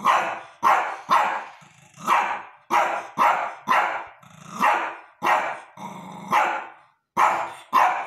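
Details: A Shih Tzu barks loudly and insistently. Sharp, fairly high barks repeat in a rough rhythm about every half second to second, with a little growl between some of them. There are no other clear sounds.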